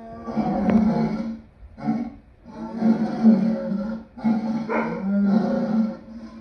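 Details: Lion roaring in rough, drawn-out bursts, deep and throaty, with short breaks between them.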